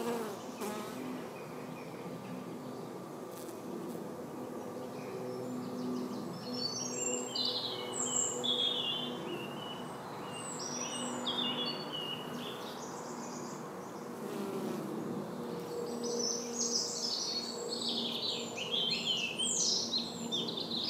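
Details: European honey bees (Apis mellifera) hum with a steady, low buzz, with small birds chirping high above.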